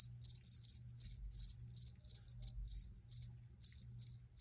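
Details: Cricket chirps come as rapid high-pitched pulses in groups of two or three, about three bursts per second, over a low constant hum.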